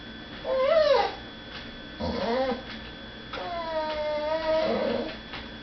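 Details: Female house dog crying because she is kept from begging at the dinner table while others eat in another room; a short, softer bent whine, a brief fainter call, then a longer level, slightly wavering whine.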